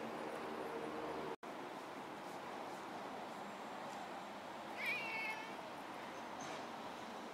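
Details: Outdoor riverbank cats in late November 2016, a kitten keeping close to a friendly young cat; one high, bright meow mid-clip against constant rushing background noise, with a brief dropout early on.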